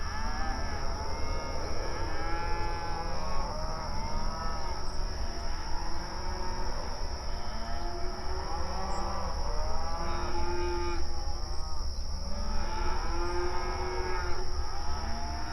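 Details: Several cows mooing in the night, mournful and drawn out. Many moos overlap, each arching up then sliding down, coming in waves throughout, with a constant low rumble and a steady thin high tone behind them.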